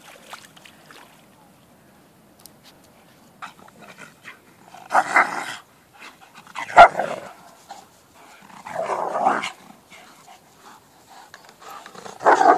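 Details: Alaskan Malamute, described as an American wolfdog, out on an adventure with friends; a few drawn-out, mid-pitched whining vocal bursts separated by quiet pauses, with faint shuffling in between.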